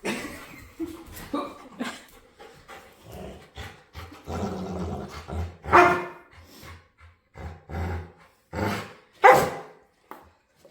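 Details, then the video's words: Playful dog begging to play, making weird noises: irregular bursts of short barks and low grumbling sounds, with two louder, higher whining yelps around the middle and near the end, separated by brief quiet gaps. "Cutest Dog Begs To Play | Adorable Dog And Human Compilation Video | Playful Dog Makes Weird Noises"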